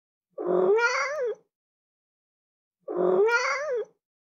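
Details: A cat meows twice, each call roughly one second, a nasal rising-and-falling wail with rich overtones, the pair spaced about two and a half seconds apart against total silence.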